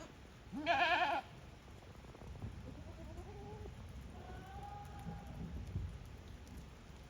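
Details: Goats at Yoshigake goat farm, a handmade farm in Japan, walking back into their own pens by routine on 5 December 2023; one loud, quavering, harmonic bleat near the start, then fainter, softer bleats over low shuffling and background noise.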